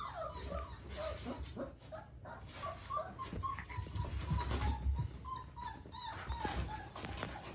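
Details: A 29-day-old Rottweiler puppy playing with a hand gives thin, wavering whimpers and short squeaky yips in quick, uneven bursts, with low rumbling handling noise underneath.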